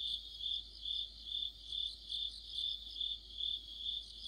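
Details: Mid-autumn crickets and their insect companions by a streetlight, producing a continuous high, ringing chirp pulsed evenly about twice per second, the layered voices blending into one shimmering band.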